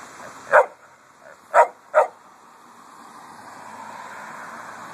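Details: A pet dog on a hot August day in a cemetery barks at cars and trucks: three loud, sharp barks within two seconds, then quiet with a constant high insect drone behind.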